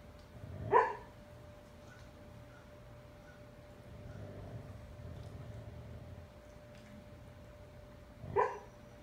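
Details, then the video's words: Bandit, a husky foster dog for Dogs on Deployment, dreaming in his sleep indoors: two muffled, soft woofs about seven seconds apart with a quiet low huff between them over a steady background hum. "Husky talking in his sleep"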